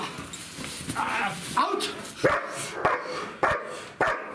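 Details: Two-year-old female German Shepherd, naturally nervy, working under pressure in a new scenario during confidence-building bite training, losing the bite several times: short sharp barks and yelps at irregular intervals, mixed with a man's shouted commands and background noise.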